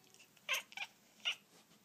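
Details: Persian cats watching a toy held just out of reach give short, bright chirping cries, three quick bursts within two seconds in a quiet indoor room.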